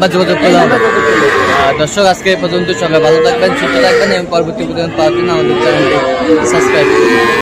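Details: At the Ambari market in Tangail, Bangladesh, on Friday 25 August, Sahiwal bull calves give repeated lowing calls, some short and some long and rising, over a busy background of talk and market noise.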